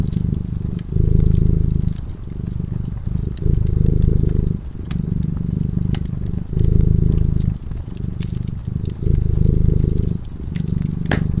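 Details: Continuous low purring from a cat dozing beside a crackling fireplace, alternating louder and softer phases with each inhale and exhale, punctuated by frequent small pops and snaps of burning wood.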